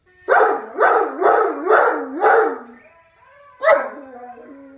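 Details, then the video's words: An Irish Wolfhound in a lazy howling bout: five loud, hoarse bark-howls about half a second apart, each sliding downward, a quiet gap, then one more harsh bark trailing into a low drawn-out moan. "Irish wolfhound lazy howl"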